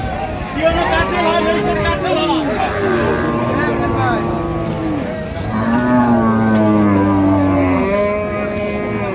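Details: Cows with calves at the Raniganj haat cattle market in Dinajpur on 23 October 2025, giving several long, low, harmonic moos, some arching and some level, amid constant chatter of people bargaining.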